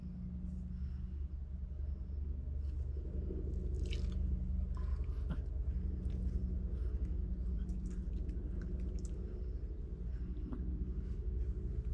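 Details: Low indoor rumble with soft rustles, thumps and clicks, and no animal calls.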